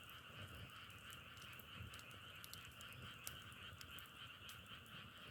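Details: Frog voices massed into a constant two-toned trilling drone, described as sounding like burning firewood, broken by scattered crisp crackles and a few soft low thumps.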